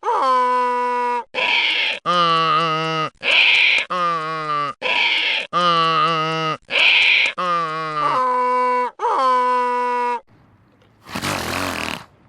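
A donkey brays in a long see-saw series, alternating wheezy high in-breaths with deep harsh out-breaths.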